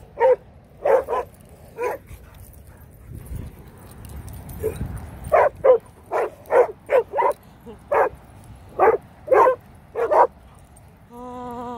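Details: Rhodesian Ridgebacks barking in a long, uneven series of about fourteen sharp, mid-pitched barks, some doubled, with pauses between bursts; a low rumble sits beneath and a steady tonal beep enters at the very end.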